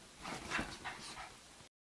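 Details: A male Basenji play-fights with his sister on dirty laundry, giving short, scratchy growls and whiny yips in quick bursts that stop abruptly.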